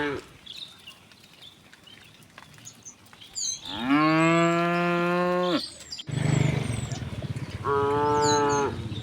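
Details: Village cow herd heading home on a bright morning; a long, loud, low moo lasting nearly two seconds, then a second, shorter moo after a pause, with faint bird calls and shuffling in the background.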